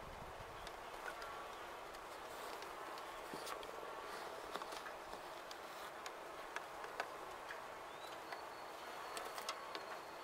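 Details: Honey bees in a top bar hive, the second hive, checked 16 days after installation; a steady, even colony hum fills the clip, crossed by brief sharp buzzes of single bees flying close past.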